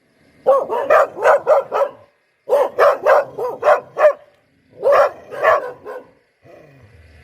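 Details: Repeated poodle barks in three quick volleys of about five, five and four sharp barks, each volley split by a short silence, ending in a faint low rumble.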